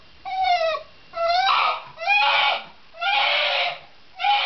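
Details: Insistent whining from a Shiba Inu: four loud, strained cries, each about half a second long, starting tonal and turning rough and hoarse, repeated at about one per second.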